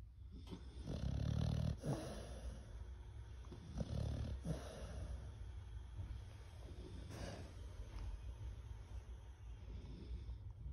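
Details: A resting Pit Bull snoring on a calm afternoon: low, rumbling breaths, loudest in the first two seconds and again near four seconds, then softer steady breathing to the end.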